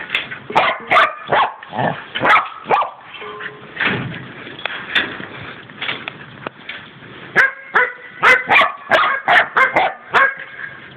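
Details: Male Border Collie trick dog throwing his dish about because he wants his dinner: bursts of sharp, harmonic barks mixed with clattering knocks from the dish, ending in a rapid run of about eight barks.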